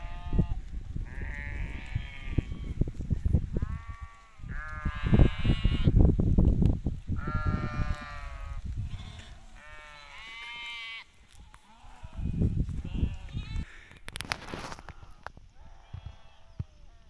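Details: Hissar sheep bleating: a series of wavering, harmonic bleats lasting one to two seconds each, some high and some lower, over low rumbling handling noise, with a sharp clatter near the end.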